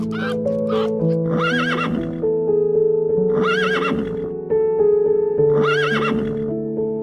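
A horse neighs three times, each a shaky, quavering whinny, over soft background music.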